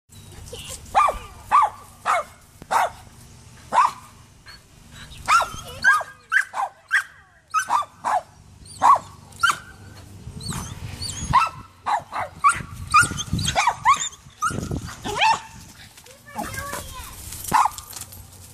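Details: Gracie, a poodle, barks while climbing a neighbor's tree to reach Allie the cat: sharp, mid-pitched barks come in quick bursts roughly every half second to second, with brief pauses and faint background rumble.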